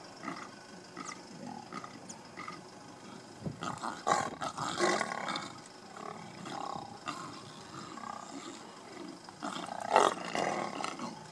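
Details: Lions of a mega pride in Kruger National Park fight while feeding on a buffalo kill. Harsh snarling bursts and roars come in clusters, loudest near the fourth and tenth seconds, with quieter rumbling growls between them.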